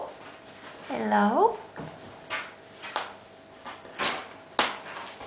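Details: Bengal kitten, one of Ariel and Sambuca's litter at eight and a half weeks old, playing indoors; a single rising, harmonic-rich meow early on, followed by repeated knocks and clattering thumps from play.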